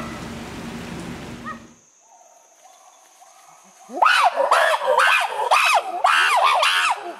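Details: Chimpanzees screaming, a baby among the group: after a noisy start and a quiet stretch with a steady faint tone, a run of loud arched screams repeats about twice a second.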